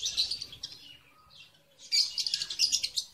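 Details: Caged red avadavat (strawberry finch) kept for breeding, building a nest on 24 February 2017, the male not yet showing red plumage; bursts of high, rapid twittering chirps, a quieter pause mid-clip, then dense chirping resumes.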